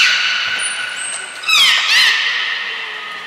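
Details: Captive belugas Nana, Mirai and Niko during a training session at Port of Nagoya Public Aquarium, 22 May 2022: steady harmonic tones with a high thin whistle, then two bursts of rapid upswept chirps, in a reverberant hall.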